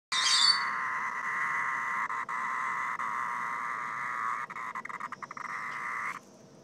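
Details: Cicada calling: a steady, loud, buzzing drone held for about six seconds, faltering into brief stutters near the end before stopping abruptly; a short higher-pitched buzz opens the clip.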